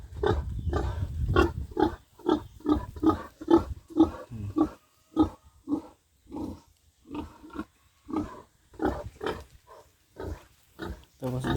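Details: A young pig being raised as a future breeding sow in a backyard pen on a small farm gives a steady run of short, low grunts, roughly two each second, with brief pauses between bursts and some faint rustling.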